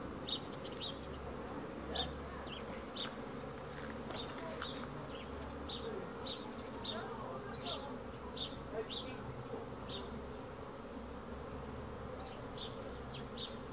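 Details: Low, steady buzz of honey bees fills the recording, with brief high bird chirps repeating roughly every second and a few clicks and faint knocks early on.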